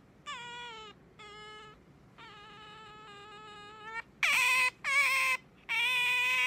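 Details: Pet otter Sakura calling at her sleeping owner in the morning: steady, level, harmonic whines at moderate volume, then three loud, strident squeals that start with a sharp upward swoop.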